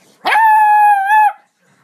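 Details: Three-month-old female beagle puppy, being silly while finding her voice, gives a single clear howl: a sustained, steady, smooth tone lasting about one second that begins with a short rough onset and then holds level before dropping off.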